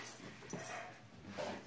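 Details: Breathy huffs and soft whimpering from Niky, a Rottweiler x Akita crossbreed, in a pub during an October 2016 dog-training camp near Brno, Czech Republic; two rough broadband bursts stand out against room noise.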